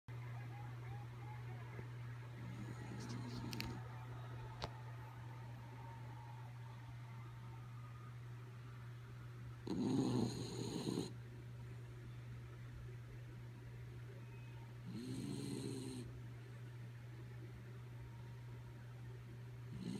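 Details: Kaya Boo, a sleeping dog, snores indoors: two rasping, breathy snores about five seconds apart plus a fainter one earlier, over a constant low electrical hum filling the room.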